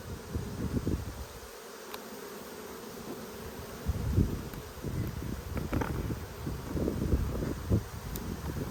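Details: A dense droning hum rises from one of two strong honey bee hives inspected in Australia during a food dearth, 5 February 2022. Scattered bumps and clicks of hive handling come through the buzz.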